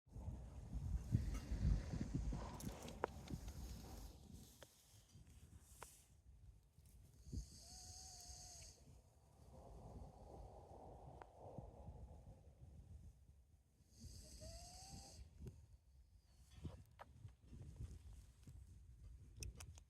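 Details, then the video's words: Sleeping dog on an RV trip snoring away: slow breaths about every seven seconds, each a hissing, airy inhale with a short whistled wheeze, separated by soft low rumbling and quiet gaps. "snoring dog.."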